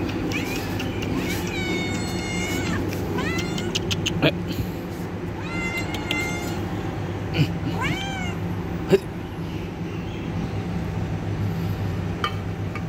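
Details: Pet cat with kittens, given fish to eat, meows about four times across the stretch, each call rising then falling, separated by pauses, with sharp clicks and a constant low background hum.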